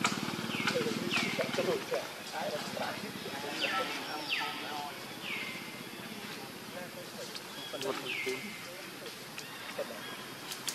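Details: Monkey, with a mother named Luna and her baby: a series of clear, tonal, downward-sliding whimpering cries spaced a second or more apart, over steady background chatter of voices and other noise.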